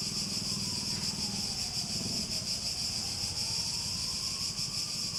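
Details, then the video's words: Continuous high-pitched cicada buzzing with a slight pulsing texture. A faint sliding tone and a low murmur sit beneath it. "Relaxing Sounds With Cicadas"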